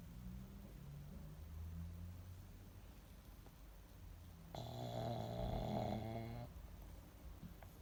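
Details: Female pug Monaka, an indoor dog, fast asleep and snoring in her hiding spot; low rumbling breaths give way to a louder, rattling, vibrating snore of roughly two seconds before fading back to soft breathing.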